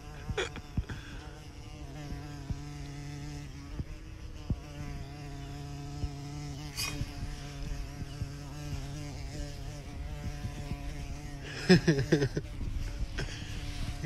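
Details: Bumblebee filmed at close range, humming a continuous low buzz with a rich ladder of overtones, pitch wavering slightly, broken by scattered clicks and rustles and a louder burst near the end.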